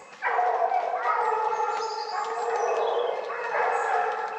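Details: Pack of hunting dogs, Tina among them, baying at wild boar held at bay in a Cévennes drive hunt; sustained overlapping harmonic bays and howling yelps from several dogs, continuous and loud throughout.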